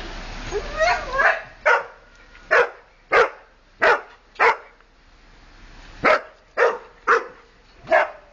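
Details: Wilbur, a pet dog, barks on 30 Oct 2008 as another dog walks past. A whiny rising yelp opens, then about ten sharp, evenly spaced barks come with short pauses between them.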